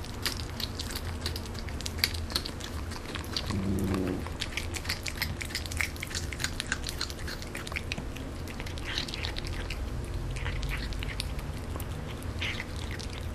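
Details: A Canadian Sphynx cat chews and smacks noisily while eating, making funny "nom nom" sounds with soft crunching clicks throughout.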